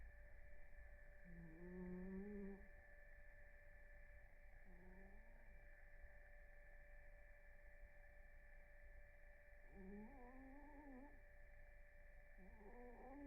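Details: A cat named Blue snores through REM sleep with a series of soft, reedy whistling breaths. Some are long and steady, others short and wavering, irregularly spaced over the stretch. A quiet room hum continues throughout.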